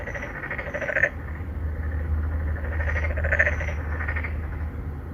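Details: In an apartment pond in Songdo, Incheon, Korea, three or four endangered narrow-mouthed frogs seek females, recorded on a Galaxy Note9. Two groups of rapid, pulsed croaks come about two seconds apart, above a steady low mechanical drone.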